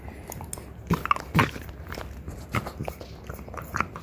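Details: French Bulldog mother and daughter chewing deer antler in a small room, sharp crunchy bites at irregular intervals with quieter grinding between, a few louder scraping crunches.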